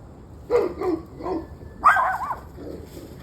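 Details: Dog barking on and off for about an hour and a half on a November evening: three short barks, then a higher drawn-out whining yelp, then softer barks.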